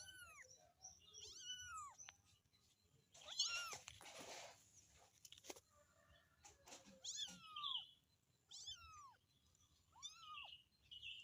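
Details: Domestic cat (kitten) (Felis catus), meow: kitten calling for its mother.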